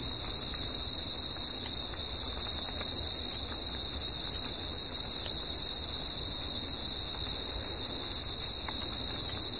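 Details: Crickets heard at night in a natural setting, their song a constant high, even buzzing trill lasting throughout, with light scattered ticks and dull low noise beneath.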